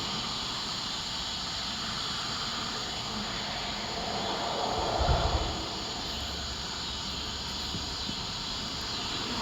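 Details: Steady broad hiss and rumble like distant traffic or an aircraft, with no animal calls heard.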